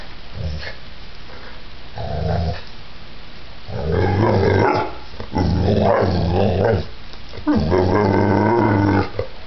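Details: Violent attack by a giant pit bull: short low growls at first, building into longer, louder, snarling growls roughly every two seconds, with scuffling thuds between them.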